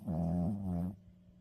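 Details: Maltese dog snoring in deep sleep: a single low, droning, nasal snore lasting about one second, then a quiet hum.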